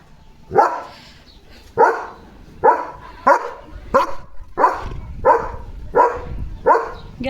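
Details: Leo the German Shepherd keeps barking at another dog outside; evenly spaced hoarse barks, about one every three quarters of a second, over low rumbling background noise.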